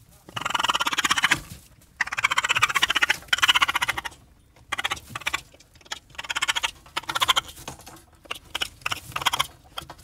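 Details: A raccoon makes raspy, pulsing churrs in bouts of about one to two seconds, each a fast rattle of grainy notes, separated by short pauses.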